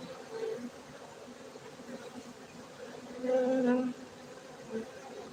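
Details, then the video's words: Many honey bees humming at a Gayo beekeeping centre in Bener Meriah, Aceh, Indonesia: an even, low drone throughout, briefly louder and fuller just past the middle, with a short burst near the end. "lebah madu gayo"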